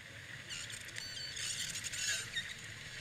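Dolphin chatter: high, squeaky whistles mixed with quick trains of clicks over a low underwater hiss.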